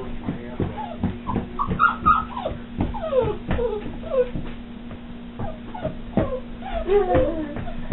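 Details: A new puppy whimpering and yipping indoors in short rising and falling whines, repeated several times, over a steady hum and a person's voice talking.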